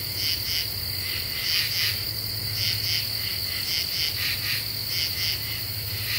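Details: . Common true katydids in nighttime deciduous forest of the eastern U.S., July 2013, singing after cicadas end. Choppy rasping pulse trains repeat rapidly, layered over an unbroken shrill insect note and low background drone.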